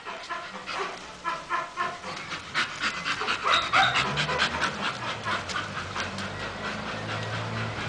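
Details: Female Bull Terrier named Masseter Alanis, outdoors in the sun, pants in quick rhythmic breaths, roughly two per second, steady throughout, with faint human voices in the background.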